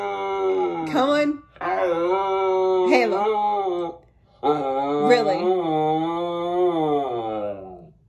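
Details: Husky Halo grumbles back indoors at being told off for lying on the bed: three loud, wavering, howl-like phrases with swooping pitch, the last one long and sustained before trailing off.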